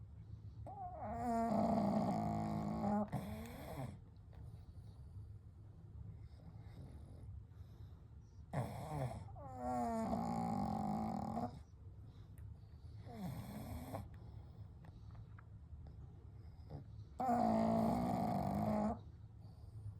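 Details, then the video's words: Three pugs named Kou, Gen and Shun sleeping together indoors, snoring gently: rasping, wheezy snores with whistling overtones come in bursts of one to two seconds, separated by quieter breathing pauses. "A Night with Sleeping Pugs - Gentle Snoring & Breathing"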